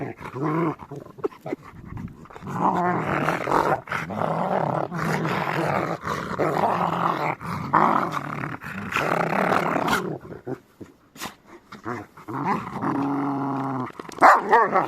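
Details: Two Rottweilers playing together indoors, giving long rough rumbling growls in overlapping bursts with short pauses, ending with a brief sharp yelp; a person talks quietly at times.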